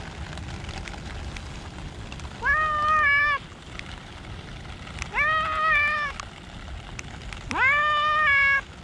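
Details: Rain-soaked park cats; three clear meows spaced roughly two and a half seconds apart, each swooping up then held, the last one longest, amid falling rain and occasional drips.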